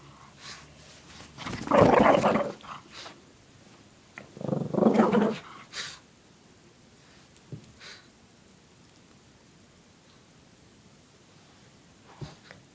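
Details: Shih Tzu dog named Lacey playing with her pink puppy blanket indoors, shaking her head; two fierce-sounding rough growls about two seconds apart, with a woman talking to her before and after and faint clicks.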